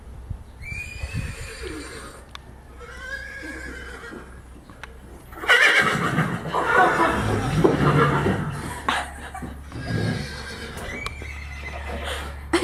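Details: Horses hearing a horse ringtone alarm sound played to them; harmonic whinnies with falling, wavering pitch near the start, then a loud, rough, broadband burst in the middle, with background hum and faint voices.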